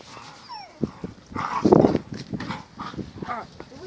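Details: Giant Schnauzer puppy, the male Gelb from the B litter of vom Stolzenstern, in his eighth week, playing: a short run of gruff, rough growling and yelping bursts, loudest near the middle, with faint human voices underneath.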